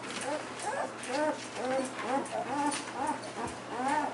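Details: German Shepherd puppies whimpering while feeding and trying to walk; a rapid run of short, arched, whiny squeals, roughly eight in four seconds, over a steady low background hum.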